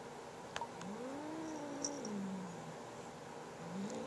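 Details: Pet cat guarding a new feather toy from its little sister, giving a drawn-out, wavering moaning growl that swells and sags over two seconds, then starts again, with small clicks and taps in a quiet room.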